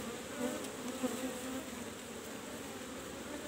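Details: Buzzing of Apis cerana, the Asian honey bee, around a kept hive box while honey is harvested; an even, continuous drone with wavering tones and small clicks throughout.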